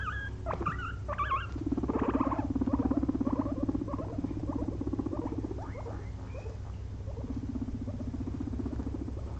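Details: Two pet guinea pigs napping after a long day of munching frozen blueberries; a steady low rapid purring rumble in stretches, with faint higher squeaks early on and a constant hum behind.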